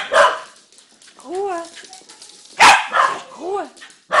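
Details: Dog giving a few sharp barks mixed with short arched yelping or whining tones, with a human voice audible in the background between calls.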